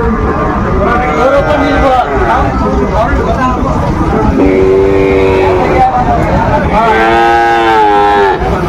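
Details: Cattle at a livestock market in Shariatpur, Bangladesh, on 10 July 2025, where bull calves are traded. Two long, drawn-out harmonic moos rise above a constant roar of crowd chatter and vehicle noise.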